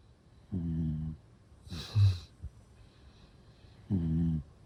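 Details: Shiba Inu asleep, snoring: two low, buzzy, harmonic snores about three seconds apart, with a short noisy snort-like breath between them in a quiet room.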